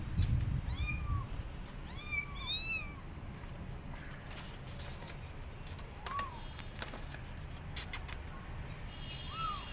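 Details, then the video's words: Kittens abandoned on a gate keep meowing loudly for their mother cat: a quick cluster of arching cries at the start, then single drawn-out meows every few seconds over low rumbling noise. "Abandoned Kittens Are On Gate Meowing Loudly Calling Mom Cat"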